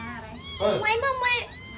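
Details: Hungry tiny white kitten being bottle-fed milk gives a loud, high wavering meow that rises and falls over about a second, with a faint second cry trailing off; a woman's voice speaks just before.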